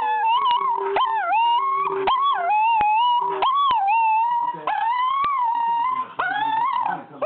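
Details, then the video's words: Smegal, a pet dog who has sung all his life, howls along with music: sustained wavering tones sliding up and down, held notes broken by short rising yelps, with a steady low musical note beneath. "Smegal - The Singing Dog"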